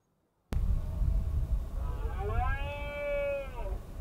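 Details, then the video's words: Red deer stag bellowing during the autumn rut in the Cantabrian Mountains, Spain, 2023: a long harmonic roar that swells, holds steady, then drops away, over heavy low wind rumble. "Berrea del ciervo en la cordillera cantábrica"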